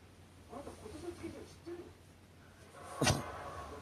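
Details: Chihuahua at night on 1 January 2019, caught in repeated choking and sneezing fits, lets out one sharp, explosive sneeze near the end, after a stretch of quiet murmured speech from a person nearby.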